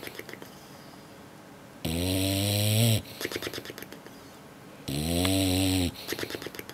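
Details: Sleeping English Bulldog worn out after a long day at the beach, giving two loud, deep, harmonic snores about three seconds apart, each lasting around a second, with softer fluttering lip breaths in between.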